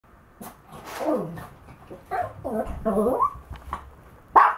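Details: Maltese dog vocalizing while walking: a run of short, yowling, talk-like whines and moans rising and falling in pitch, several in quick succession, ending with a sharp higher bark-like yelp.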